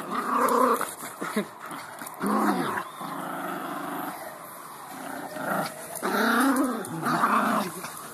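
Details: Pet beagle growling while playing, rough throaty growls in uneven bursts of about a second, with quieter gaps between them indoors.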